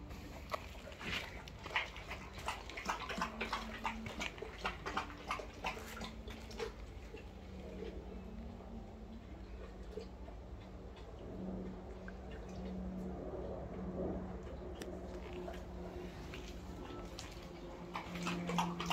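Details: Boerboels, a dog breed, heard as low drawn-out whining tones that rise and hold in several stretches, mixed with soft clicks, taps and rustling throughout.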